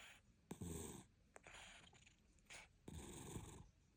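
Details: Cat asleep and snoring: two loud, gravelly snorting breaths about two seconds apart, each with a rough rattle, plus a softer exhale and small clicks between.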